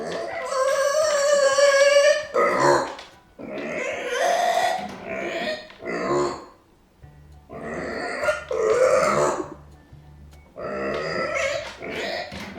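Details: Angry, discontented micro pig Arya, left behind and nose-bumping her fence, lets out long strained squeals, the first held for about two seconds, followed by several shorter rasping bursts with brief pauses between.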